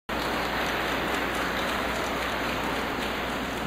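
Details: Steady, even hiss like heavy rain drumming on a surface fills the whole recording.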